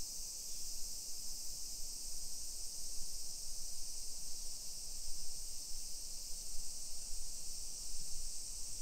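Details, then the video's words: Summer cicadas in a hillside residential neighborhood of Nisshin, suburban Nagoya, Aichi Prefecture, Japan, at 1 PM on 28 July 2021, heard during a street walk: an unbroken, dense, high-pitched buzzing hiss, steady throughout, over low rumbling street noise. "Summer Cicadas Sounds"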